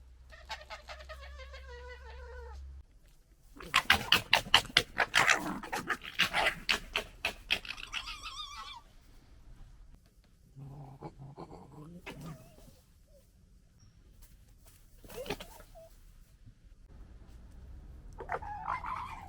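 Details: Wild urban European red foxes, a local family in the UK, interacting noisily, recorded with a handheld camera. High whiny harmonic calls open the clip, then a fast burst of harsh rattling, chattering pulses, followed by scattered squeals and yelps.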